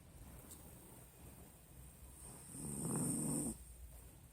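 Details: Pinscher named Nina sleeping soundly, giving a single low, rough snore that swells for about a second near the end, over a faint steady hum.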